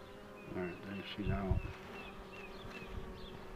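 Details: Honey bees droning while the queen box is pulled: a layered, humming buzz with steady tones that briefly swell louder at mid-clip, with short high chirps heard faintly behind.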